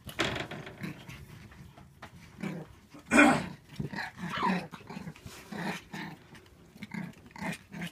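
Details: Shiba Inu puppies born 8 May 2016, at a kennel, give short yips and low growling grumbles in a small indoor room.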